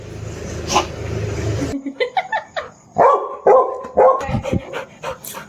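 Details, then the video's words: Snoopy, a pet dog wanting a kitten to play with him, gives a string of short, high, excited yips and whines after a low rumbling start, with a woman speaking softly. "Look how Snoopy wants this baby cat to play with"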